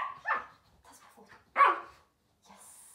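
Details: 15-week-old puppy in training indoors, two short sharp barks about a second and a half apart with soft whimpering between them, a trainer speaking Swedish nearby.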